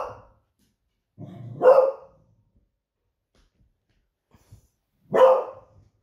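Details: Smudge the pet Beagle, a female, sounds the alarm indoors as her owner nears home after surfing; a low grumbling lead-in followed by a sharp bark, a pause with faint small noises, then another bark.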